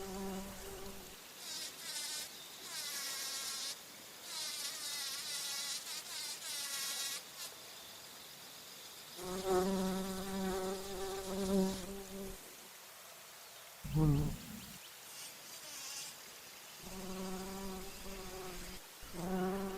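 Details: A bumblebee hums in flight among flowers while feeding on nectar, with a low, droning buzz that rises and falls in pitch.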